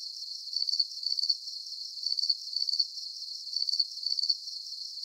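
A cricket chirps in short, high, pulsing bursts repeated steadily about every half second.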